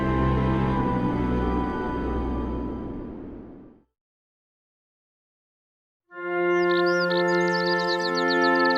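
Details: Dense, swelling music fills the first four seconds, then two seconds of silence, then sustained musical tones with twinkling high notes; no animal calls are heard.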